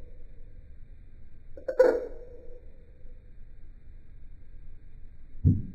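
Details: Male Eastern dwarf tree frog using different techniques for different calls: one short, abrupt croak with a brief tonal tail, then near silence and a low thump at the end.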